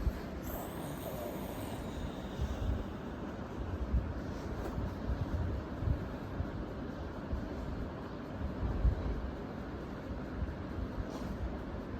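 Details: Steady broadband low rumble like a vehicle or engine, with no animal sound standing out.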